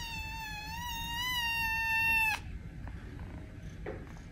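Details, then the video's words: Single long kitten meow, played to get cats to react, held steady and rich in harmonics for over two seconds before cutting off abruptly, followed by faint clicks and room noise. "Meows to make your cat react - kitten"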